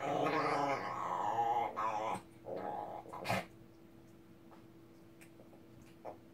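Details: Ssong the Shih Tzu, angry, gives a drawn-out voiced growl with a whining edge for about two seconds. Shorter rough grumbles follow, then a sharp click, and the clip fades into quiet room hum.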